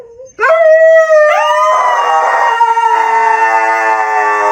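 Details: Howl from a Siberian Husky after encouragement: a brief soft note, then a sudden loud rising cry that holds a sustained, slightly wavering pitch for several seconds.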